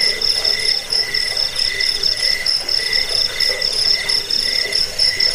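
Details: Shrill cricket chorus used as a rat repellent, sleep aid and songbird tutor: a ringing high trill throbbing in short, regular pulses, several insects calling at once without pause.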